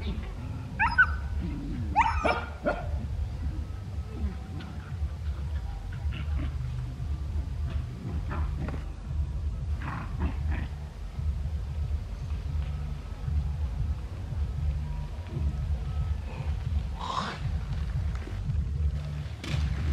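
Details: Dogs playing near home in Cambodia, giving a few sharp, scattered barks near the start and again around the middle and end, over a steady low rumble in the background.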